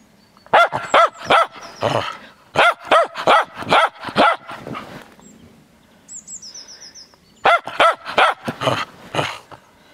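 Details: Playful Cairn Terrier out in the snow barks in fast volleys of sharp yaps, about three bursts separated by quieter gaps, with a faint high whistling sound briefly in between.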